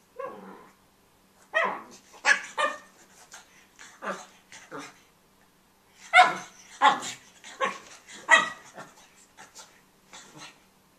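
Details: A pug puppy named Tobey, busy with his bone, gives a rapid run of sharp, rough yips and huffing barks in irregular bursts, several crowded close together, with short pauses between them.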